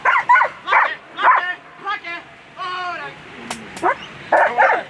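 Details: German Shepherd at a world championship agility event, barking in a quick series of sharp yelping barks and high whines, roughly two per second, some with a clear harmonic tone.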